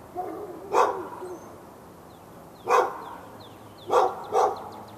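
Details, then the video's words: Backyard dog in Raleigh, North Carolina, on February 15, 2012, barking continuously for hours at the dog next door and other dogs in earshot. There are four loud, hoarse barks, the last two close together, over light chirping birds. "Barking Insanity!"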